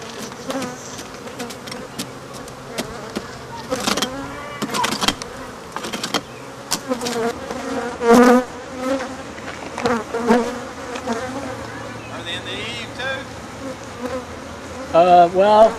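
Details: Disturbed African honey bees droning around a hive being torn out of a building's eaves, their hum running under repeated bangs, scraping and brief human voices.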